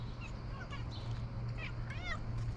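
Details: Three stray cats meowing with different voices, asking for food and attention: a few short, tonal meows, one near the middle and a wavering, bending one toward the end, over a steady low hum.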